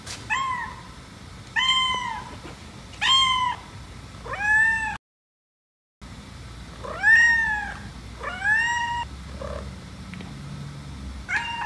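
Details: Domestic white cat, jealous while its owner pets a black cat, giving a string of about eight arched, harmonic-rich meows, each rising then falling, spaced one to two seconds apart, with a brief gap of silence midway; quiet indoor background.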